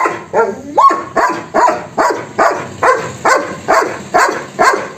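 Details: Angry German Shepherd giving about ten sharp, evenly spaced barks, roughly two per second, with a short rising whine-like tone between the first barks.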